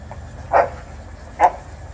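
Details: Dog during rough play between a male Golden Retriever and a female Alaskan Malamute whose heat cycle just ended, their third play session of the day; two short, sharp barks about a second apart over a low steady rumble.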